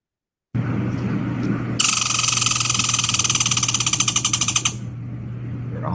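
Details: An American red squirrel in Pennsylvania gives its scolding trill at the recordist, a rapid, harsh rattle of clicks lasting about three seconds, over a faint steady low hum.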